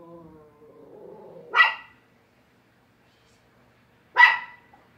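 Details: Dog barking indoors: a soft whining tone first, then two sharp, loud single barks about two and a half seconds apart, with silence between.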